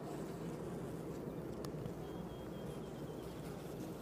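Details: Hive inspection at Downs, honey bees working a comb honey super while sweet and white clover is in flow; an even, low buzzing hum fills the clip, one brief click and a faint high bird whistle over it.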